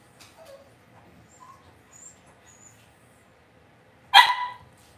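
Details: Cavalier King Charles Spaniel puppies raised indoors in a home puppy pen. One sharp, high yappy bark near the end, after faint soft squeaks and near silence.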